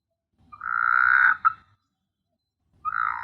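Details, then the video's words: Nighttime frog call from S.Hulhumeedhoo in the Maldives: one sustained, droning, buzzy croak of about a second ending in a short clipped note, followed after a pause by the start of another croak. "Beautiful frog sound at night"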